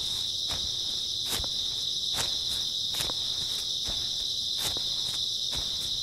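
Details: Early autumn night chorus of grass insects: a continuous shrill, even trilling hum, while a walker's footsteps crunch at irregular intervals of roughly a second.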